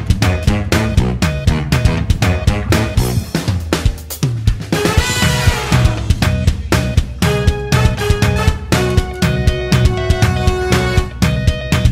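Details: Upbeat funk-style music with a driving drum kit, bass and guitar throughout, and no animal sound.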